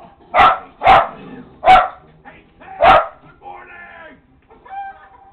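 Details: Indoor pet Lakeland Terrier barking at a show on TV: four rough barks roughly every half second to second, then quieter television sounds and voices.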